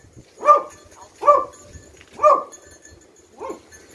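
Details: Rescue-training Beagle searching for hidden victims gives four short, harsh barks spaced roughly one second apart, the last one softer, over faint background noise.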